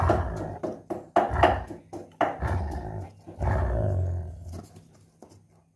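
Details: Sheeba, a German Shepherd in an angry mood at not being allowed to eat a coconut shell, growls indoors: deep rumbling bursts in quick succession, then one longer sustained low growl before it fades.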